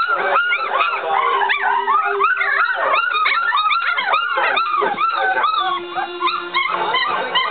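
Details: Three-week-old puppies from one litter crying together: dense overlapping high whines and yelps, each arching up then falling, packed continuously with no pauses throughout.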